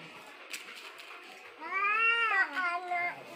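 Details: Angry cat during a fight, giving a drawn-out harmonic yowl that rises then bends down, followed by shorter wavering wails over a faint background hiss.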